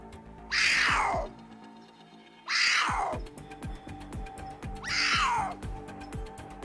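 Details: Cougar (Puma concolor) gives three harsh, falling, meow-like calls about two seconds apart over background music; pumas make a meow-like call rather than a roar.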